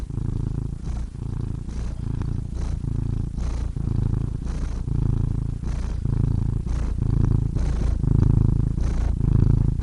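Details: A cat purrs continuously, a grainy low rumble swelling and easing with each breath roughly every second, becoming a little stronger in the final seconds.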